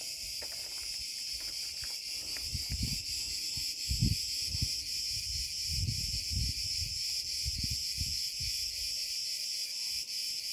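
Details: Cicada cretensis singing after sunset in an old olive grove at 34 C: a continuous, steady high buzzing hiss without pauses, with footsteps and low rustling beneath.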